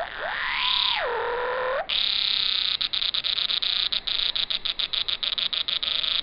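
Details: A Walker's cicada sings a loud, high buzz broken into rapid rhythmic pulses after a brief sliding whine, recorded in sync with slow-motion footage; its abdomen movements change the tone of the song.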